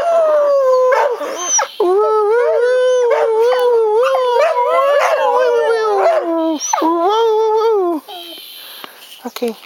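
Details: Two pet dogs howl along as their owner sings "Crying Time": a sustained, wavering mid-pitched tone rises and falls in long phrases, briefly breaking near the second mark, then fades into quieter whines at the end.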